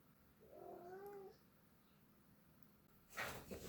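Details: A cat in the mood to play gives a short, soft, wavering meow with a faint harmonic, followed by quiet and then a burst of rustling noise.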